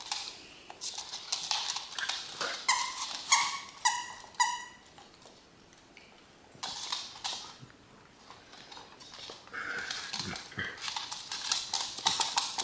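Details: Dachshunds Honey and MJ at home let out a burst of high, clear yips in the middle, repeated in a quick series, with scattered clicks and a few faint barks toward the end.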